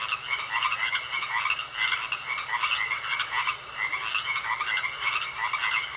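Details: A thick chorus of frogs in a pond, with bursts of grating croaks swelling and easing in waves, and a sustained thin high tone in the background.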